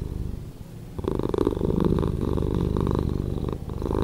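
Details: Purring domestic cat, slowed down; a quieter start gives way after one second to a fuller, buzzing low rumble of quick repeated pulses that continues evenly to the end.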